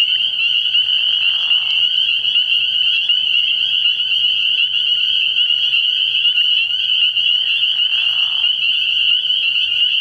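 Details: Spring peepers calling at night from a frog pond early in the year, a dense chorus of high, piercing peeps overlapping without pause, with two brief lower rasping bursts near the start and end.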